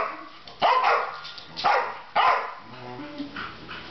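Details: Three pet dogs barking together at something unknown: three loud harsh barks about one second apart, each with a rising-falling tonal yelp, followed by softer trailing barks.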